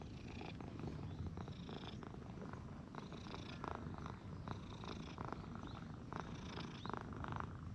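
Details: Stray cats in a Japanese park, an affectionate brown-and-white cat being played with while a fat brown tabby approaches; a close, steady low rumbling purr, pulsing continuously, with soft rustling handling noises.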